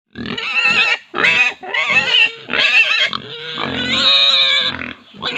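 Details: Pigs on an Indian farm squealing in loud, harmonic bursts about half a second to a second long, several in a row with brief gaps, one longer drawn-out squeal near the end.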